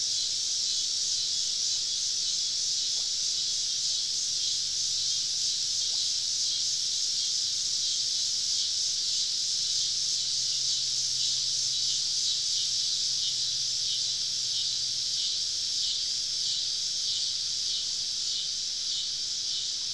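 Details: Dense cicada chorus in the woods on a southern summer evening during a camping trip, a loud continuous high sizzle with faint rhythmic throbbing and a soft low hum underneath.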